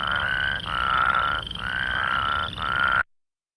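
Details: Plains Spadefoot of grassy plains calling with a distinct whirring: four vibrating, trilled notes of roughly a second each, steady in pitch with short breaks between them, before the sound cuts off.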